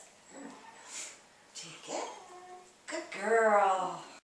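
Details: Zuni, a female Basenji, indoors during food-refusal "leave it" training; a person speaks in short phrases, then a loud, wavering, whiny harmonic vocalization rises and falls for about a second near the end.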